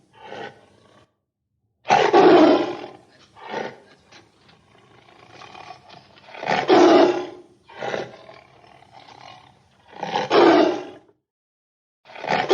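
Heavy, throaty roars from a tiger come in bursts about every four seconds. Each one swells quickly and fades with a gravelly rasp, and softer grunting breaths fall between them.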